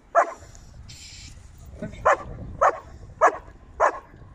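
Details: A 22-month-old female German Shepherd, described as having a natural guard instinct, gives five short, sharp barks. They come at uneven gaps of about half a second to two seconds against a quiet background.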